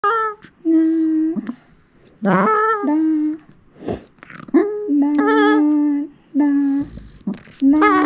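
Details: Female Shiba Inu, three years seven months old, indoors doing vocalization practice with her owner: long steady howling tones held about a second each, rich in harmonics, with short gaps and occasional brief rising yelps between them.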